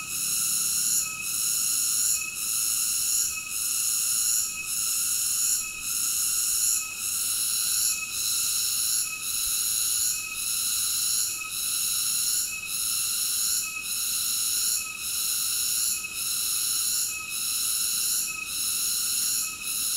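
Cicadas fill the air with a shrill, high buzzing that swells and dips about once a second.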